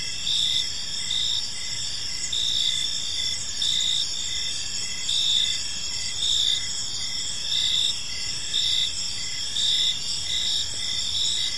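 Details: Park crickets at evening form a continuous high chorus, with clearly pulsed chirps repeating at an even pace and several callers overlapping; distant low ambient noise.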